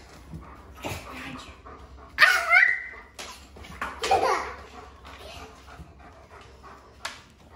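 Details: Charlie, a German Shepherd Dog, playing with bubbles indoors in a kitchen: loud excited bark-like yelps in two main bursts, then quieter whimpers and a final sharp sound, amid clattering household noise.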